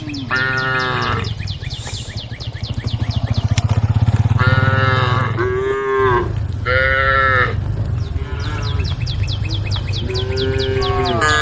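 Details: Herd-calling moos from a group of tame female cows on a road by rice fields: repeated short and long lowing calls, a deep continuous rumble underneath and rhythmic high chirps throughout.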